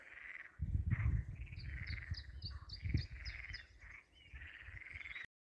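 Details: Frogs croaking loudly in a pond filling a disused old mine, now used by ducks, on a walking stage from Vilar de Cas to Lugo; raspy repeated pulsed calls over heavy low rumbling and footstep noise.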